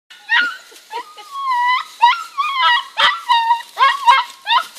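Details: Two young German Shepherd puppies struggling to cross a bridge whimper and yip in a run of high, wavering whines, some rising and falling, repeated roughly every half second with brief gaps between bursts.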